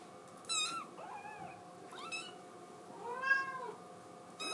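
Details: ['Female blue tabby Scottish Fold kitten indoors, crying because she wants to go outside: three separate high, arching meows spaced about a second apart, the middle ones thinner, over a quiet room hum.']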